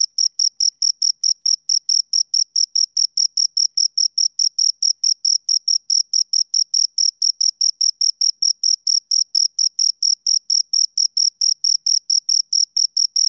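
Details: Two crickets keep up a long, even chirping: bright, high-pitched pulses at a steady pace of about four per second, every pulse of the same loudness, with a quiet background and no other noise.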